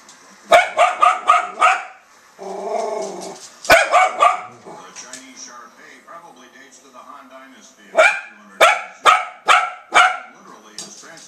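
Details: Pet dog barking at dogs on a TV broadcast of the Westminster Dog Show: bursts of four or five quick sharp barks separated by pauses, with a low growl and a television commentator speaking in the background.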